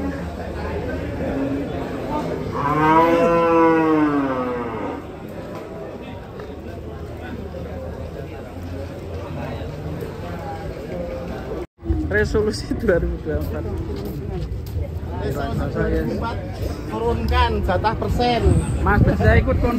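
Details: A giant cow coming off a truck in 2024 gives a loud, long harmonic moo lasting about two seconds. Quieter lowing follows amid voices, rumbling and the clatter of unloading.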